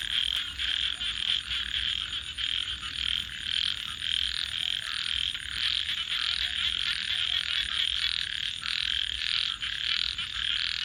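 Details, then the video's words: Night-time frog chorus of many callers, with pulsed raspy croaks repeating in quick, uneven bursts of about two per second, over a steady shrill high pulsing tone and soft low background rumble. "frogs 🐸 Sounds"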